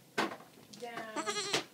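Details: A just-rescued baby goat, one of two (a black La Mancha and a sable Nubian), gives a single wavering, nasal bleat of about a second. It follows a woman's short spoken word amid indoor room noise.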